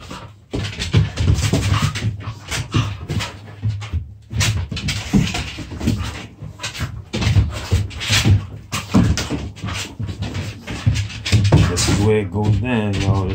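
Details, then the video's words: Young dogs play-fight indoors, making loud, ragged growls and huffing pants almost without pause. Near the end comes a brief, higher whining note. "puppy play"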